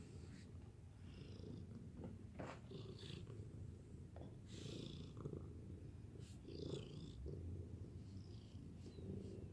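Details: A domestic cat purrs in a steady low rumble throughout, with soft pulsing and occasional brief clicks or rustles on top.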